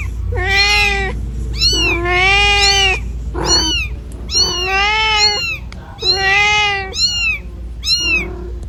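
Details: Cat meowing repeatedly in the middle of a road while confusedly looking for its kitten: about seven loud, drawn-out, wavering meows roughly every second, some strained and wailing, with a constant low rumble underneath.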